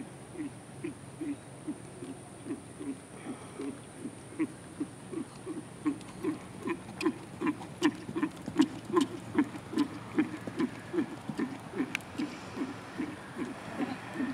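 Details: Rhythmic muffled hoofbeats of a 7-year-old Lusitano Westphalian stallion in dressage schooling, starting flying changes and passage; soft low thuds repeat steadily about two and a half times per second, with scattered sharp clicks above.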